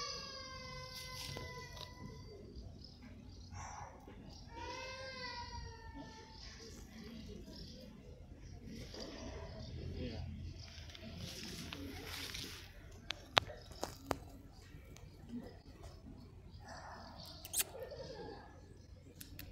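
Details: Indoor pet cat Poofy, resting after her work, gives two plaintive harmonic meows, the second sliding downward, followed by quieter rustling, a few sharp taps and a brief voice.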